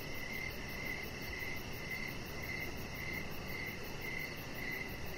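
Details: Crickets chirping outdoors in the evening beside a deck where a chihuahua puppy lies, short pulsed chirps repeating roughly twice a second in a steady series over a low background hum.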